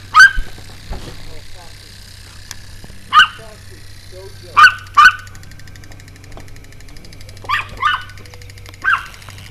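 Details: Pomeranian jumping and barking relentlessly, filmed 6/4/2012 at 6:37 PM; sharp high yappy barks come singly and in pairs at irregular gaps, with a steady low hum beneath and faint background noise.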